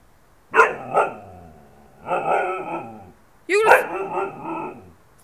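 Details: Siberian husky named Shayla 'talking' with howling: short vocal bursts, then longer wavering, voice-like moans that rise and fall in pitch, in three groups over five seconds, with a person speaking to the dog just afterwards.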